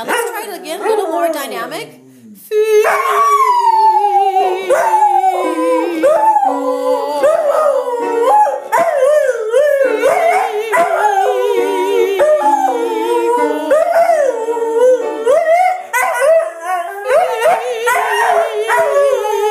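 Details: Pet dog howling along to piano in a mock voice lesson: long, wavering howls that glide up and down almost continuously, with piano notes and a man's coaching speech mixed in.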